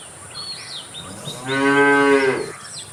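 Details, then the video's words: A single cow moo, somewhat distant and moderate in volume, lasting about a second, steady and harmonic, with birds chirping faintly before it and a light constant hiss. "Cow Sound Effects Moo"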